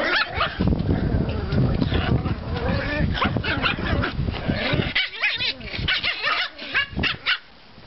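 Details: Pomeranian puppies from a litter out for a walk in a yard after snowfall on 5 April 2014; short, high yipping barks come in a quick cluster during the second half, following seconds of rustling and scuffling noise.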